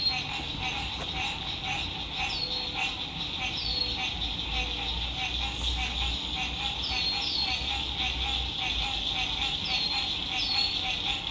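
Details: A steady frog chorus at sunset by a lake in spring, with dense, high trilling and lower pulsing notes, broken by brief bird chirps.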